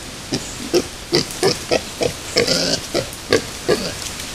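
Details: Wild boar with piglets at Yaremovskiy Nature Reserve, 17 July 2017, original sound: a series of short rhythmic grunts about every 0.4 seconds, low and rounded with noisy upper bands, steady through the recording.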